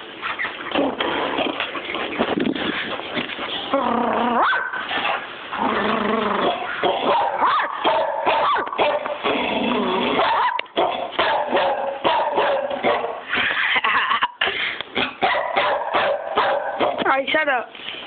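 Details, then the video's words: Smokey, a pet dog, barks nonstop for eighteen seconds, mixing short sharp barks with drawn-out, arching howl-like yelps and whines, barely pausing for breath. "Smokey barking"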